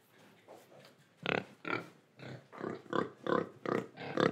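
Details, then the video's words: Pig in Indonesia grunting in a quickening series, soft at first and then loud, rhythmic oinks about two or three per second, as if breathing and eating. "Pig Sound Effects Oink Oink, Breathing & Eating"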